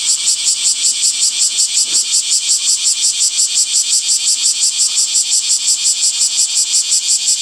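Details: Rhythmic cicada chorus in summer trees, a shrill buzzing sound chopped into fast, very even pulses, roughly five per second, throughout, with one brief low knock near the two-second mark.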